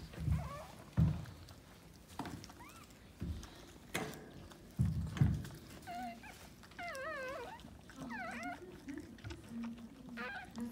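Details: Maltese dog during the birth of her second puppy, in a litter of three: low thuds and rustling at first, then wavering, high-pitched squeaks and whines clustered toward the end.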